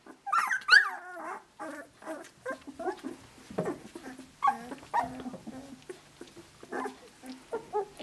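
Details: Australian Shepherd pups, 17 days old, out of Dazzle sired by Naishe, walking around and playing together; a litter of whines, squeaks and small growls overlap, with a few louder rising-falling yelps near the start and middle.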